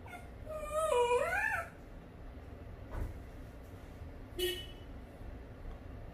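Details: Dachshund stuck in a window gap, giving a wavering, high whine that rises and falls for about a second, then quiet room noise with a few soft knocks and a short squeak.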